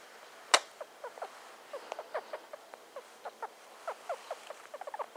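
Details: Squeaks from Star, a female pet hamster aged just over two, sniffing around: a sharp click early on, then a string of brief, irregularly spaced chirpy squeaks at a steady low volume.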